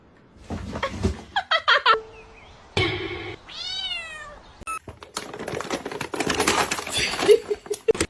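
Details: A domestic cat gives one drawn-out, arching meow in the middle of the clip, surrounded by human talk, exclamations and thumping household noises.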